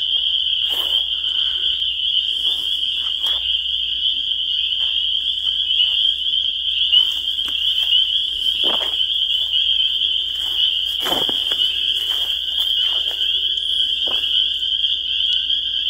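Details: A spring peeper chorus forming a constant piercing, high whistle-like drone across the whole stretch. Occasional brief knocks and rustles break through, and a faint low rumble lies underneath.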